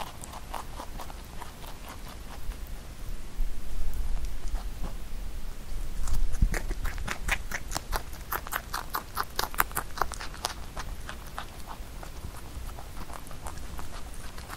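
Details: A rabbit eats Korean melon (chamoe), a fruit it rarely ate when young, with quick, wet crunching and clicking bites.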